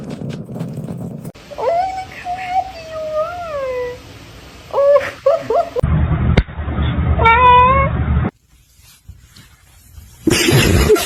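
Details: Domestic cat meowing in a funny pets compilation: several drawn-out, wavering tonal meows, some bending up and down, in choppy edited segments with brief speech and background noise between them.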